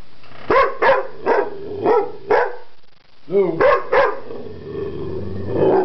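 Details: LuLu, a pet dog, vocalizing strangely while attempting to communicate indoors: five sharp barks about every half second, a pause, a low groaning rise with two more barks, then a drawn-out murmuring whine.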